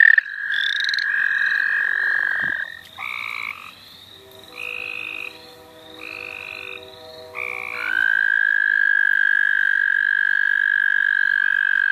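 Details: Wild frogs calling at the St. Olaf College Natural Lands during frog catching: long, steady, even trills overlap with short stepped higher notes. A brief thump breaks in midway before a fresh sustained trill takes over.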